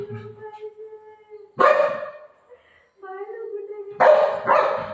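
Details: Golden retriever playing with its mom during a prank, two loud harsh barks about two seconds apart, while a person talks in between.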